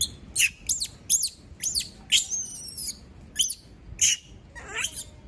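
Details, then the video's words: A female monkey left on her own gives piercing high-pitched screams. The shrieks come in quick bursts about every half second, some bending down in pitch, with brief pauses between groups. "Sound of monkey berlin scream when all leave her alone, monyet berlin berteriKmak sendirian"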